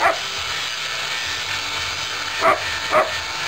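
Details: German Shepherd during rough play: one bark at the start, then a pause of over two seconds and two quick barks half a second apart, all against constant broadband hiss.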